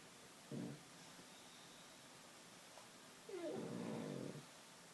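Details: Pug snoring while asleep sitting up, later falling over: two rough, breathy low bursts, a short one then a longer one with a faint whistled edge, separated by about three seconds of quiet room.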